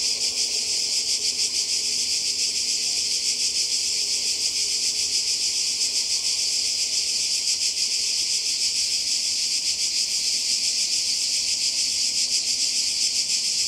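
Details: Cicadas by the sea in Croatia on a summer holiday in 2020: a dense, unbroken, high-pitched buzzing chorus with a fast shimmering pulse that stays steady throughout.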